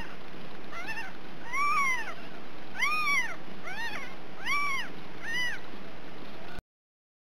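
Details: Ragdoll kittens in a central Kansas home cattery, kept without cages, mewing about six times in clear arched calls roughly every second, each swelling up then dropping, before the sound cuts off abruptly.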